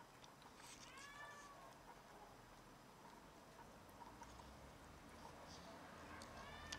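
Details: After catching a rat and bringing it to show off, a house cat lets out a drawn meow early on and another brief one at the end, over a low indoor hum.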